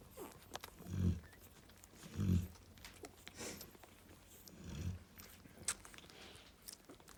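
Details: Narla, a female Cane Corso, snores while resting with her babies: three deep, rough low rumbles a little over a second apart, then a longer gap before a fainter fourth breath, with light clicks and rustling in the background.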